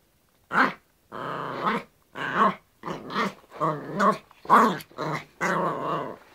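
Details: Yorkshire Terrier versus a hairbrush: a steady run of throaty play growls, about eight pulsing bursts of under a second each, with little else audible.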